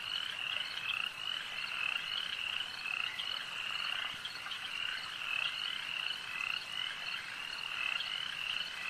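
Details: Lakeside frog chorus, many animals croaking at once: rapid repeated rasping notes layered into an unbroken, shimmering drone that swells slightly and fades again over several seconds.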